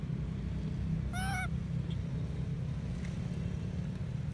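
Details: Sweatpea, a baby monkey at Bayon Temple, cries after being slapped by his mother when he tried to nurse; one loud, bright, rich squeal lasting about a third of a second, then steady low background rumble.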